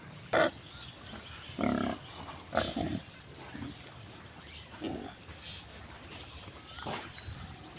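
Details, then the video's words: Pigs grazing in village mud give short, low grunts spaced a second or so apart over steady background noise, with thin bird chirps heard faintly. "pig grazing in amader village mud"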